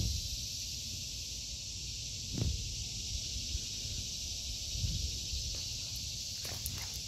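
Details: Cicadas in an August 2023 vegetable garden: a steady, high, hissing drone runs without a break under soft footsteps, a few rustles and dull thumps of someone walking.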